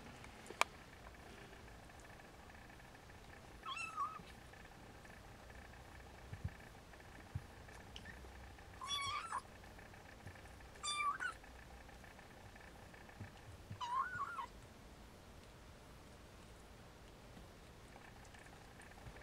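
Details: Four-week-old Siamese kittens at play give faint, short, high mews, about four brief calls scattered several seconds apart over a steady low hiss, with a sharp click near the start.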